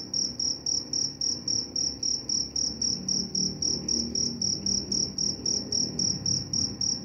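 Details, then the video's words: Cricket chirping steadily, offered as a sleep sound and a way to repel mice; high, pure pulsed chirps repeating nearly four times per second in an even rhythm over a faint low background hum. "Suara jangkrik pengantar tidur dan juga mengusir tikus."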